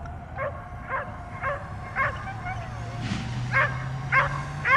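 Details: A dog barks at a drone flying around, trying to jump up at it. Softer, evenly spaced barks come nearly twice a second, with a drone whine and a low rumbling hum beneath.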